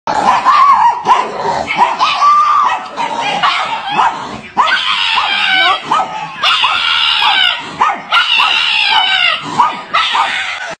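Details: Pug screaming for dear life: loud, harsh, continuous yelping screams repeated in rapid bursts for about eleven seconds, each cry wavering and strained, with barely a pause between them.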